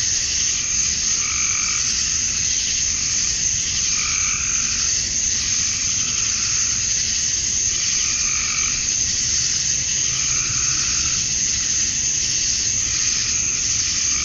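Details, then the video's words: Summer dusk chorus of male cicadas in Georgia, USA, calling to attract females: unbroken shrill buzzing fills the air while lower pulsing calls come and go every couple of seconds. "Cicadas at Dusk, Summer Night"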